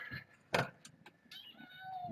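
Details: Kittens born August 29th, four girls among them, indoors at a foster home with the adult cat Kougra visiting; a sharp loud burst followed by short high thin harmonic mews and a gliding whine, with a person speaking nearby.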